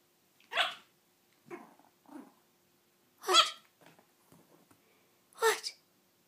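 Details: Three-month-old toy Yorkshire Terrier puppy giving its first barks: five short, sharp yaps spread over six seconds, two loud and bright with softer, rougher ones between, and a person's praising voice follows.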